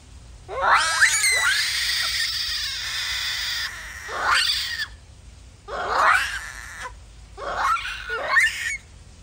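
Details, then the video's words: Japanese macaque screaming loudly: a series of harsh, high, rising and falling shrieks in bursts, a long sustained wail early on followed by three shorter screams spaced about two seconds apart. "SOM DE MACACO, MACACO JAPONÊS"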